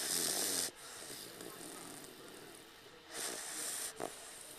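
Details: Cage, a young Dogue de Bordeaux asleep on a lap, gives two harsh, hissing snores separated by a few seconds of softer breathing.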